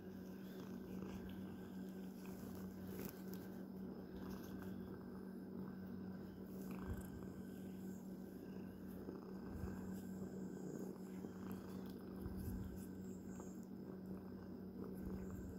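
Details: Domestic cat purring steadily, a strong low vibrating rumble held without pause, with light rustling and small clicks scattered through.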